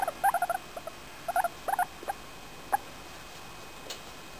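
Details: Being petted, Femi, a four-year-old female English Crested guinea pig, gives happy noises: quick clusters of short high squeaks, three to four in a row, then a pause and another burst, fading to single chirps; light background hiss.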